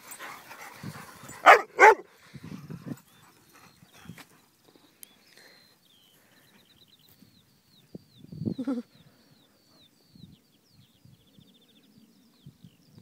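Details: Dogs on a walk, one of six named Dixie, Honey, Oliver, Jumbo, Annie and Bear: two sharp loud barks early, then a lower bark burst near the end, with faint birdsong and quiet rustling between.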